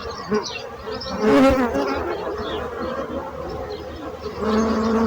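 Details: Bees hum steadily, with one loud close buzz pass early on and another rising drone near the end, over a background of constant lower humming.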